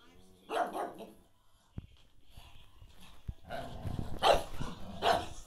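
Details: A pug gives short, rough barks and yips in irregular bursts while trying to play with a Cocker Spaniel; Pug.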